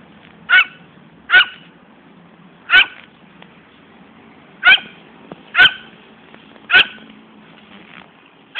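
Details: Fani, a female poodle chasing after a ball she loves to run for but never brings back, gives seven sharp, short barks spaced irregularly about one to two seconds apart over a faint low background hum.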